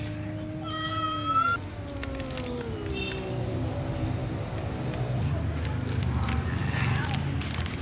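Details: Ginger cat meowing beside another ginger cat lying down exhausted; a long falling meow near the start, then softer drawn-out meows, over steady low hum and faint household noise.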